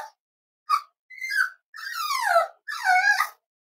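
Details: Cavalier King Charles Spaniel puppies nearly eight weeks old at home: a run of five whimpers, from short chirps to long, wavering, downward-sliding moans, growing louder toward the end, with no other sounds.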